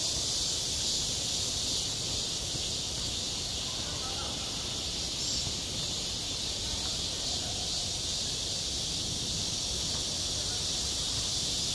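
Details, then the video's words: Cicada chorus in summer at a school playground, a steady high buzzing hiss that swells slightly at times and continues without pause, with no other clear sounds. "한 여름 운동장에서 매미가 울고 있다 - 여름의 소리, 학교 종소리, 매미 울음소리"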